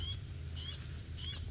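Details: Upset squirrels give sharp, high alarm calls, repeated about every half second over a low engine rumble, apparently reacting to a predator nearby.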